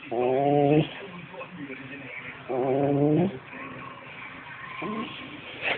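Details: Dog producing two separate wavering, tonal moaning vocalizations about two seconds apart, each under a second long, followed by a short fainter sound, with quiet room noise between.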